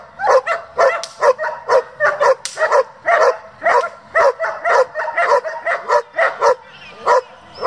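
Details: Rapid, insistent barking from a German Shepherd kept for breeding and competition, about two barks per second in uneven bursts, bright and sharp throughout.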